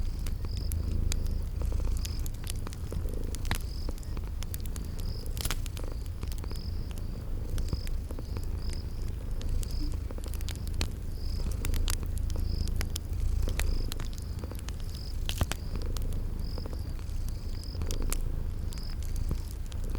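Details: Sleeping cats purring by a fireplace in a spring garden ambience: a low, steady rumbling purr underneath sharp crackles of burning wood, with high, thin cricket chirps repeating about every second.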